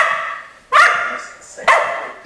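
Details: Keeshond dogs named Charlie and Fiffi: two sharp, harmonic barks about a second apart, each starting abruptly and fading, with faint background sound between them.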